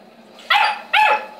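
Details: Two strong, bright barks from a Saint Bernard, roughly half a second apart, each short and harmonic.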